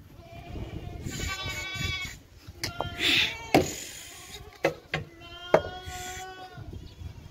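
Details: Goat at a goat farm, giving a wavering, tremulous bleat with strong stacked overtones, followed by shorter bleats between sharp knocks and clatter, with human voices and steady background rumble.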